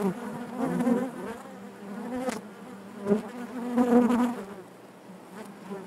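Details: Inside a honey bee hive, a droning colony hum with fluctuating loudness, brief sharp knocks and taps among the comb, and louder passes of nearby bees around the fourth second.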